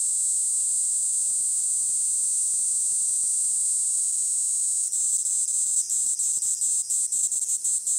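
A Kaempfer cicada gives a shrill, high, unbroken hiss that later breaks into rapid stuttering pulses.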